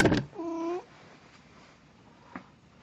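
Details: A short, clear meow from Plan, a house cat in Snow White cosplay, recorded 1 April 2017. A sharp bump comes first, then quiet room tone follows with a faint tap.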